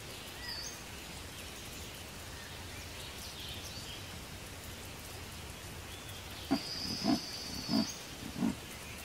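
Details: An Amur leopard at Blijdorp Zoo gives four deep, rasping grunts, evenly spaced like strokes of a saw.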